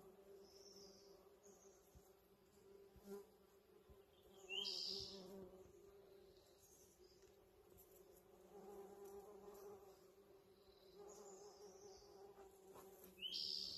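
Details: Spring yard with a flowering holly tree full of bees, their constant low hum rising and falling in intensity. Short, bright bird chirps break in a few times over the drone.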